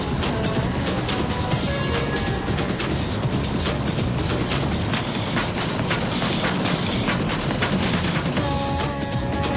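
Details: Continuous music over rumbling engine noise, with no animal sound heard.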